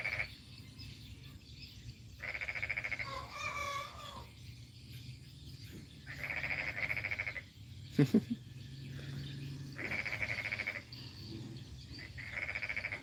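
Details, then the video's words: Morning frog chorus in Kampung Baru Mangkupadi village, North Kalimantan: four bursts of quick rattling croaks, each about a second long, spaced several seconds apart. Faint voices, a sharp knock and low rumble sit in the background. "Apakah kalian mendengar suara kodok?"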